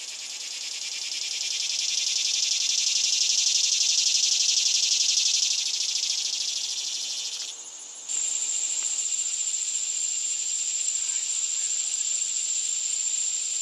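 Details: Male cicada singing its loud song: a shrill, high, hissing buzz swells and holds for several seconds, dips briefly, then resumes as a sharp steady whine with a piercing pure tone on top.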